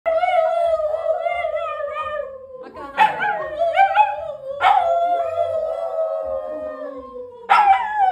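A dog howls in long, wavering tones that slide slowly downward, broken by sharp yelping onsets.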